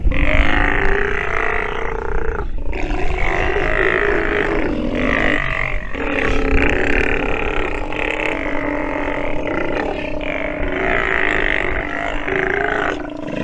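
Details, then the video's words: Sea lion pup vocalizing during nursing: long, throaty, wavering bawls in repeated bouts separated by brief gaps, over a constant low-frequency rumble. "Sea Lion pup has listened and learned while nursing - video has sound"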